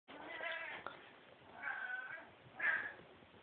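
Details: Male domestic cat that had never seen a Christmas tree, reacting to one: three drawn-out complaining meows, the last rising and loudest, indoors and muffled.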